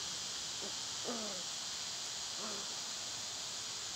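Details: Loud summer cicadas keep up a constant high buzzing drone while another animal gives two brief, nasal, downward-sliding calls a little over a second apart.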